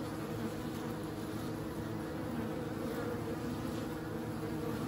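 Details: Short stretch of bees droning, a thick low buzzing hum held steady from start to finish with nothing else clearly heard.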